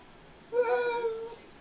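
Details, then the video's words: Zeusy, a male Pit Bull, whines while his owner asks why he is crying on a morning after already going out. One drawn-out, clear whine lasts nearly a second, holding a steady pitch with a slight fall at the end, in a quiet room. "Talking Pitbull Expresses Himself So Much Its Amazing!!"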